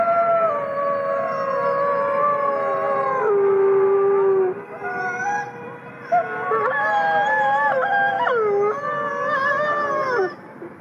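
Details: Captive gray wolves in South Salem, New York, howling as a pack over a steady hiss of background noise; sustained falling tones give way to quick wavering, yip-like rises and drops near the end.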